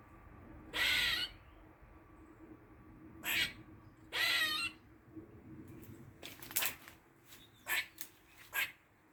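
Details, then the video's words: A Dublin garden squirrel, recorded in the forenoon of 16 August 2023, utters weird noises: two loud raspy wheezes plus a shorter one, followed by a rapid string of sharp ticking chucks over low hum. "Squirrel makes weird noises"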